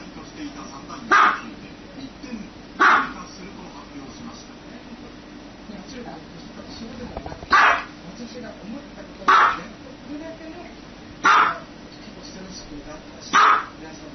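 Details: A dog gives six single, loud barks at irregular intervals of roughly two to four seconds, each abrupt and clipped, over a low hum of background voices.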